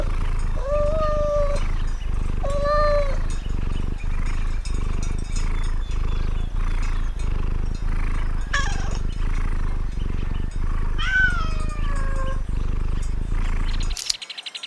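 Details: Cat on a farm uttering drawn-out level meows, then a longer falling wail, all over a continuous loud low rumble that cuts off at the very end.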